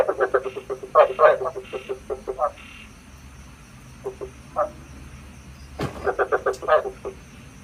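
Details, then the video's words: Frog lure calls for night trapping: bursts of rapid, rough croaks, a quieter sparse stretch, then a sharp click before another fast croaking run, over low hum and rumble. "Tiếng ếch mồi chuẩn 99,99% cho ae bẫy đêm tham khảo"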